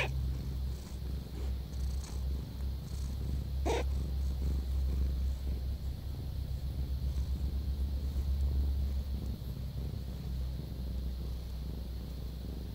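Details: A pet cat purring in a deep, even rumble with clearly rhythmic pulses, the rise and fall of each breath audible throughout; one brief rustle interrupts near the fourth second.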